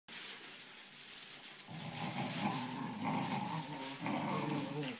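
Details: Two Cocker Spaniel puppy brothers growl in low, rumbling bursts as they play-fight.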